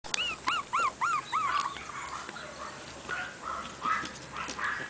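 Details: Chihuahua at a breeder's pet shop in Kobe, Japan; a run of about five high, arched whimpering yips in quick succession, then softer, quieter whines trailing off over background room noise.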